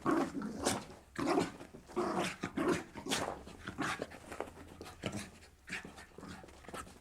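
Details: Lively Jack Russell terrier at play, leaping and landing nimbly; quick, ragged panting with throaty, growling undertones pulses at roughly 100 per minute in a small room.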